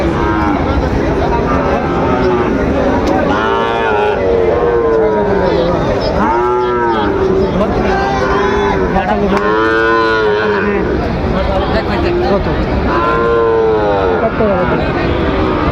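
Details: Sahiwal bull calves lowing at Raniganj cattle market, Dinajpur, on 22 January 2026 during early trading; roughly six arched, harmonic moos recur about every two to three seconds amid loud crowd murmur and haggling over prices.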